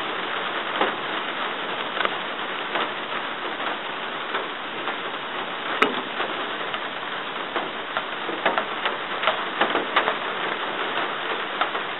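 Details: Steady rain falling in woodland on a rainy day during deer hunting in North Carolina, a dense even patter with scattered sharp drips and taps, no animal calls heard.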